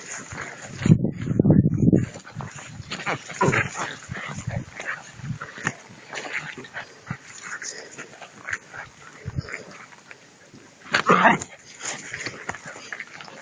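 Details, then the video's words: Two-month-old puppies playing with a rag during prey drive training, giving low rough growls and scuffling noises in bursts, with Spanish speech heard in the background. "Puppies playing whit a rag - pray drive training"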